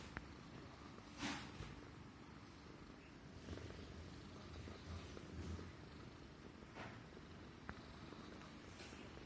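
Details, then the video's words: Low, even purring from a pampered Persian Himalayan cat being petted on the neck, the rumble sustained for the whole stretch with several brief clicks and rustling handling noises. "Suara Kucing Mendengkur (Manja Banget) CAT PURRING"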